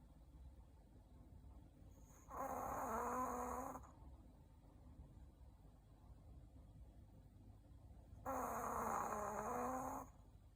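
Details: Shih Tzu named Ku-chan sleeping indoors after a meal, snoring in two long, throaty, rasping breaths about six seconds apart, with a quiet low hum of the room between them.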